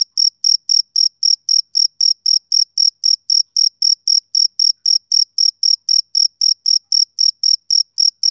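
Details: Male cricket chirping on a summer evening: clean, high-pitched pulses repeated about four times a second in a steady rhythm, with a fainter higher overtone and total silence between chirps; no other sounds.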